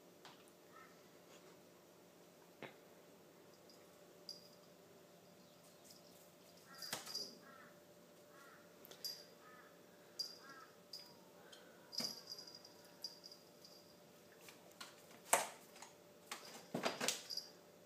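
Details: Young Tonkinese tomcat, ten months old, showing a four-year-old German Shepherd who is boss: clipped, chirping meows repeated in bursts, mixed with sharp knocks and thumps, over a low household hum.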